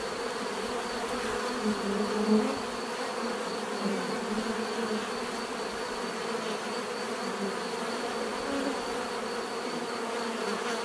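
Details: Many bees buzzing together in a steady, dense hum, with a low droning band and brighter overtones throughout, occasional louder passes of single bees swelling briefly near the start.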